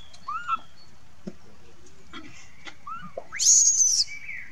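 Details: Young monkey Lucie crying and calling for its mother: short high whistled notes bending up then down, each under half a second, and then a longer shrill rising squeal near the end.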